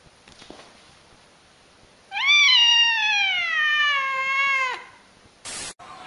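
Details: Domestic cat from a compilation of cute meowing cats: a single long, loud meow lasting nearly three seconds, starting high, sliding gently lower and trailing off, followed by a short burst of noise.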